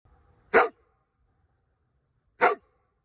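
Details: A Rottweiler gives two single, sharp, loud barks about two seconds apart, with near silence between them.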